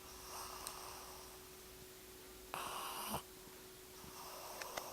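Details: Emily, a pug born in November 2008, sleeping and snoring indoors: three breathy, rasping snores of about a second each, the loudest in the middle, spaced roughly two seconds apart over a faint steady hum.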